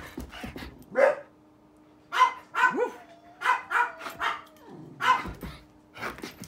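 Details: Pet dog having the zoomies, giving sharp, high barks and yips in short bursts: several clustered yelps, then scattered single barks, one with a rising whine, over a faint steady hum in a quiet room.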